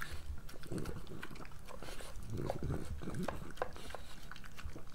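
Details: Pregnant French Bulldog Moolah at breakfast, snorting and snuffling through quick wet chews and sharp crunches, a dense busy burst of mouth noises.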